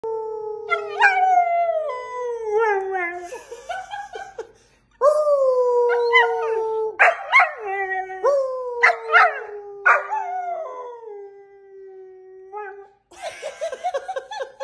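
A puppy howls in long, wavering, falling tones broken by short yips.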